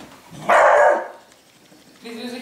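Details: One loud, harsh dog bark lasting about half a second, then a pause and a fainter voiced sound, with Dutch speech just before and after.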